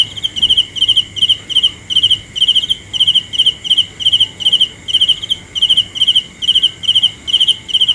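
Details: Cricket chirping for night atmosphere: bright, high-pitched pulsed chirps of three to four rapid notes each, repeated steadily about two or three times per second, with a faint steady high whine underneath.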